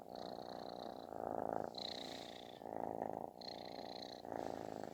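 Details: Affectionate kitten giving a booming, snore-like purr; rough rhythmic rumble alternating between louder and softer phases roughly every second, with a thin high whine overlapping some stretches.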